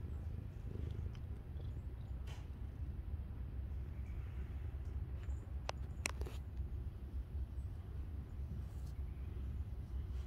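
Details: Feral cat resting in the sunshine purring: a steady, deep, continuous rumble throughout, with a few faint clicks and light background hiss.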